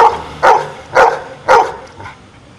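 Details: A pet dog answering spoken arithmetic problems by barking: three loud, sharp barks about half a second apart, followed by a much fainter fourth yelp, over a quiet indoor background.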